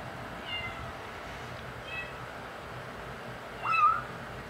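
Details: Five-week-old male kitten, one of five, vocalising while eating the big cats' dry food: two faint, thin mews, then one clearer, wavering meow near the end, over a steady background hum.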